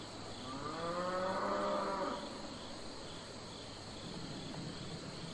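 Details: Domestic cattle on a farm, a single drawn-out moo lasting about a second and a half, rising slightly then falling away, followed by quiet outdoor background with faint insect chirping.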